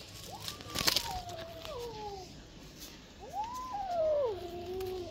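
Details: Two-month-old kitten giving about three thin, wavering meows that rise then slide downward, with soft clicks and faint handling noises nearby.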